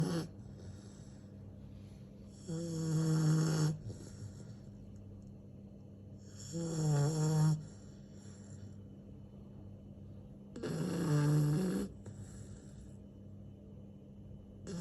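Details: Pet dog snoring loudly in three long, rasping bursts about four seconds apart, each a harsh low rumble with a nasal buzz on top, quiet breathing hum in between.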